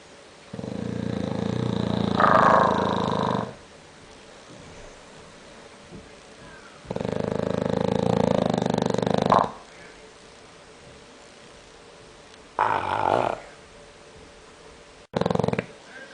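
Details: A sleeping English bulldog snores loud and rough. Long raspy snores are spaced roughly every five to six seconds, followed by two shorter snorts near the end. Quiet gaps separate the breaths.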